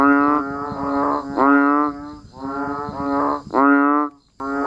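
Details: Banded bullfrogs and frogs calling while it rains outdoors: a continuous run of low, reedy, drawn-out groans from several overlapping animals, some notes swelling louder, ending in a short pause before calling resumes, over a thin high steady hum.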